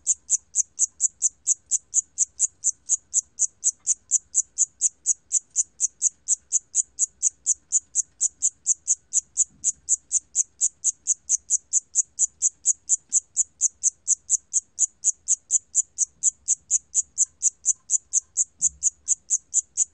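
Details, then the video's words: High, ringing pulses from a Siamese cricket repeat at an even pace of roughly four per second, unbroken for the whole stretch, with only faint low rumbles beneath; sound archived by the National Institute of Biological Resources in 2020. "샴귀뚜라미, 여러번 듣기, 곤충소리"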